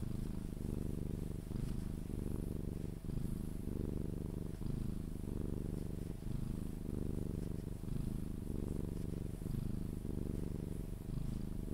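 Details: Sphynx cat purring while being cuddled, until it falls asleep: a steady low rumbling purr with rhythmic in-and-out breathing pulses about every second, running throughout.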